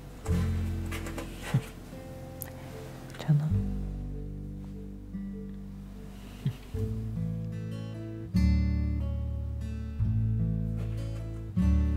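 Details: Acoustic guitar music plays with strummed and plucked chords in a steady rhythm; no animal sound is heard.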